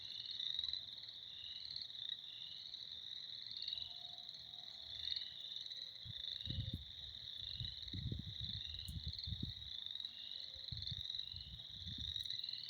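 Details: A spring chorus of numerous frogs keeps up a constant high trill throughout, while low thumping and rustling noises come and go near the recorder in the second half.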